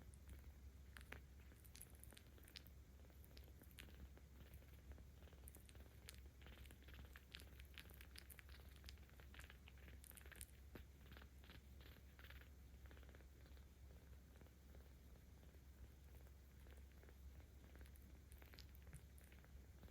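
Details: Ao-chan, a 17-day-old kitten cared for by cat volunteers in Tama City, Tokyo, filmed on 10 October 2022, purring while being petted: a steady low rumble that runs unbroken for the whole stretch, with light rustles and soft clicks above it.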